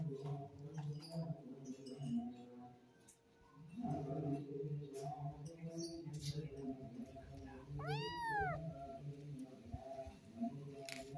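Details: Kitten meow played to drive away rats: one loud, clear meow near the end that rises and then falls, set over a dense, steady, low background hum and murmur, with faint scattered noises earlier.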